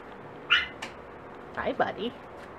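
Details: Six-week-old red dachshund puppies indoors beside a warm wood burner after playing, giving short high whiny yelps, one early squeak then a cluster of three wavering cries, with a woman talking softly.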